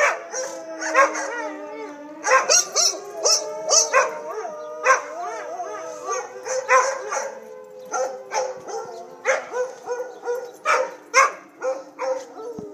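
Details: Two pet puppies reacting to tornado sirens: wavering, harmonic howls slide up and down, broken by bursts of sharp barks and yips, over a steady droning siren tone that runs underneath throughout.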